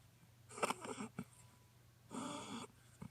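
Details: Hokkaido-born Norfolk Terrier snoring indoors beside a computer: two rasping, noisy breath bursts roughly one and a half seconds apart, then a short snort, over a low steady electrical hum.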